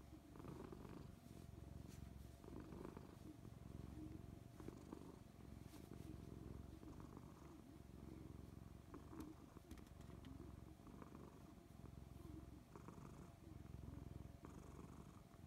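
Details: A Somali cat having a nice time purrs steadily, a low continuous rumbling throb pulsing in a regular rhythm, with occasional soft clicks and rustles.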